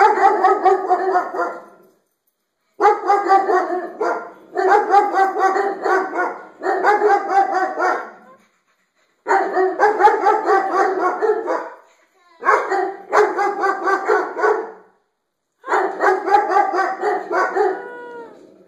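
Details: Dogs barking at their own reflections in the skylights; rapid, loud runs of barks in bursts of about two seconds, separated by brief pauses, continuing steadily throughout.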